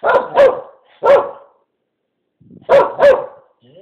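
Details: Blue, a female Keeshond, answers the question "want to go outside", which she takes to mean a walk to the park. Five sharp, loud barks come in quick pairs, with a short pause before the last pair, and the room is otherwise quiet.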